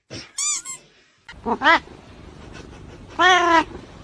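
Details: Domestic cat meowing: a short bright meow, then a rising two-part meow, then a longer, louder drawn-out meow near the end, over low room noise.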